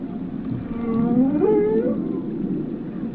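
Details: A single whale call rising in a smooth upward glide into a sustained tonal note with clear harmonics. It sits above a constant low rumble.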